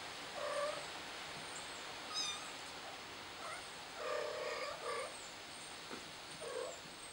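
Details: Kitten trapped on a flower pot gives short, muffled meows at irregular gaps, partly buried under a steady broadband hiss, with a few thin high squeaks.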